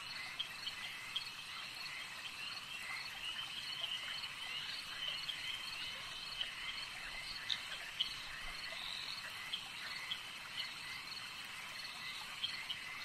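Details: Frogs calling at a lake at night in a dense, continuous chorus: steady high trilling bands with scattered sharp clicks and short chirps throughout, no single caller standing out, fairly faint overall.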